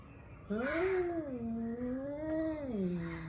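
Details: Angry male cats warming up for a fight: one long, drawn-out wavering yowl that rises, dips and swells again for nearly three seconds, with faint background noise.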